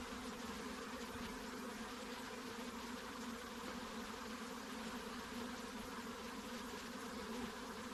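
Many honey bees make a steady, dense drone of overlapping buzzing that never lets up.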